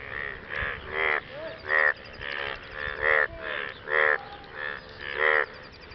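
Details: Post-rain frog chorus, males calling for partners; loud, rough, ratcheting croaks about half a second long, pulsing out in alternating bursts, with quieter rising squeaks between them.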